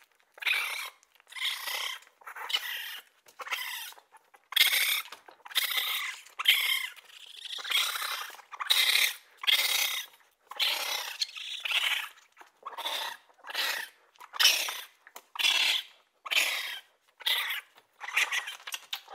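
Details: Raccoon chattering steadily, roughly once a second: a long run of short, scratchy, squealing bursts, uneven in length and loudness, with no other sounds.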